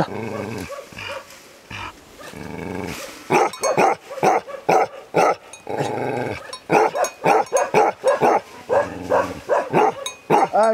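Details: Lionhead Tibetan Mastiff, called Bhote kukur, from a kennel in Nepal: after a few seconds of low growling, loud harsh barks come in quick bursts, roughly two a second, with short pauses between runs.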